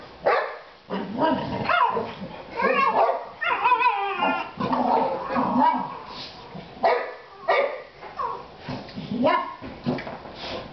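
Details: Pet Boxer dogs, three in the household, give a dense mix of barks, yelps and whining, wavering cries blending into near-continuous excited vocalising with few pauses.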